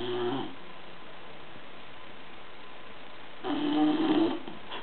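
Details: Sleeping bulldog Gordo snoring indoors: a short rasping snore at the start, a pause of about three seconds, then a longer, louder throaty snore with a buzzy rising tone.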